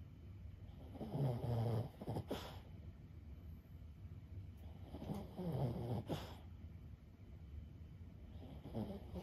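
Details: Sleeping senior Boston Terrier Lulu, aged 15, snores at home: two drawn-out, low, gravelly breaths several seconds apart, with soft snuffling between them against a faint indoor hum.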